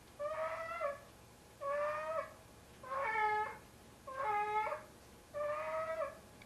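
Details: Indoors, a large male house cat of roughly 25 pounds hauls his sock 'kitten' to bed at night. Five long, yowling meows follow quickly, each slightly bending in pitch, some ending in a lower dip.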